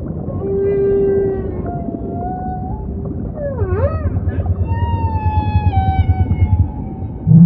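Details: Humpback whale song: a long steady low moan, sliding mid-pitched tones, then a quick swooping upsweep followed by a throbbing pulsed grunt over deep ocean rumble.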